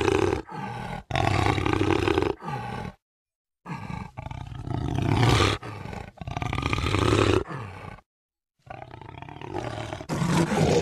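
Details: Repeated deep jaguar roars with a coarse, grating texture, delivered in bursts of two to three seconds separated by clean pauses.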